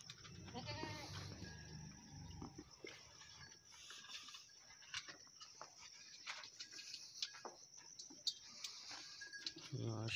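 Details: Goat at Mujahid Dairy Farm giving a wavering, harmonic bleat in the first two seconds, followed by scattered clicks and rustling over a steady high-pitched hiss.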